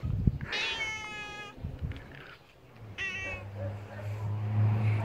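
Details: Angry domestic male cat being teased in play, giving two loud, whining meows about two seconds apart, the first long and level, the second shorter and falling, over a steady low hum and a sharp tap.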